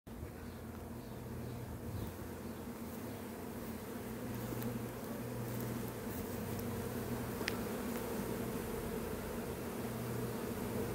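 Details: On 14 June 2021 at 16:26 in Berkshire, UK, a honey bee swarm being collected from a privet hedge into a hive box makes a dense, steady, low hum of many wings, with a few brief clicks.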